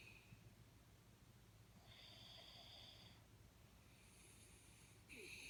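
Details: Jack Russell Terrier Jaxie snoozing, giving quiet hissing snore breaths, a longer airy one in the middle and a sharper wheezy intake at the end, with a faint steady hum beneath.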